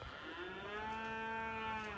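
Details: A calf on a homestead farm, far off across the driveway, gives a long, steady moo that is fairly high-pitched and richly harmonic, with a slight fall at the end.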